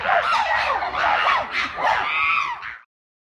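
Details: Chimpanzees going wild at Chester Zoo, a loud chorus of overlapping high screams and hooting cries in repeated rising and falling bursts, sustained for nearly three seconds before cutting off abruptly.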